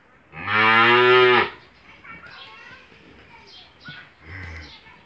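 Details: Australian-breed dairy cow in her second calving, six teeth old, with a one-day-old bull calf, on a farm in Bangladesh; one loud, rich harmonic moo about a second long, then quieter rustling and faint clicks and a soft low grunt.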